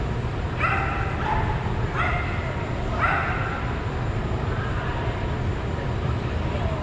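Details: Soft Coated Wheaten Terrier in Greater Denver, 2022, barks in short harmonic bursts roughly once a second, then fainter yips, over a steady low rumble with human voices nearby.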